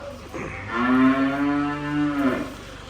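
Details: A heifer on a farm gives one drawn-out moo lasting nearly two seconds. It is a steady, nasal, mid-pitched bellow rich in overtones, slightly wavering, then cutting off, with faint background noise before and after.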